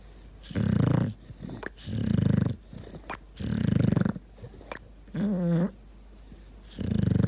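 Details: A dog deep asleep, snoring and gurgling: four rumbling snores with a steady rhythm of about two seconds, then a wobbling, whiny gurgle before the next snore starts.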